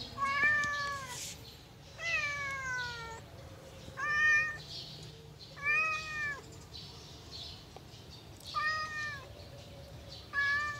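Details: Yellow domestic cat meowing during play: six clear, harmonic-rich meows, each rising then sliding down, spaced roughly every two seconds over a low background hum.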